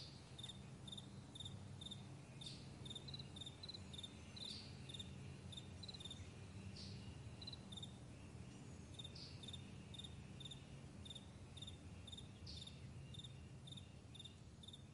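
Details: Crickets calling across a vast meadow in the morning, a lively run of rapid pulsed chirps repeated many times, sometimes overlapping, while a low droning rumble carries on below.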